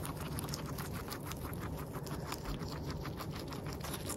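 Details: Guinea pig eating, recorded in close-up at its nose and mouth; steady, dense crunchy munching with rapid clicking bites and a soft low rumble running throughout, no pauses.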